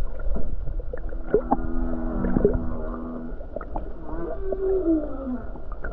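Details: Humpback whale song off the Hawaii coast on a calm day with many whales nearby: low moaning tones and layered tonal units, some held steady and some sliding downward, mixed with short clicks and pops over a steady low underwater rumble.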